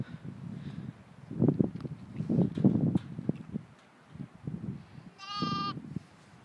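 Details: Two lambs just four hours old out in a field with their mother: one short, high, tonal bleat near the end, following several seconds of low, muffled thumping and rumbling sounds.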